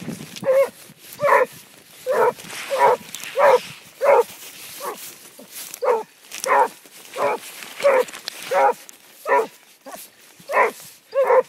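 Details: Basset Hound on the track, giving loud, ringing bays with strong harmonics, about sixteen in eleven seconds at slightly uneven spacing, each a short burst separated by quiet gaps, over a faint background hiss.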